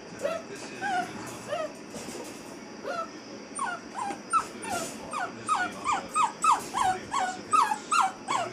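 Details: An eight-week-old female Basset Hound puppy, in a crate for the first time, gives high, wavering yelps and whines that speed up into a rapid string.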